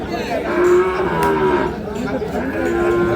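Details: Sahiwal bull calves at Ambari cattle market in Parbatipur, Dinajpur, 9 February 2026; drawn-out moaning moos with clear tonal bands, over a busy crowd murmur and men bargaining.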